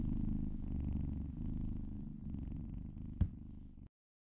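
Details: Domestic cat purring contentedly while being massaged: a steady low rumbling purr with rhythmic pulsing, broken by a brief click near the end before falling silent.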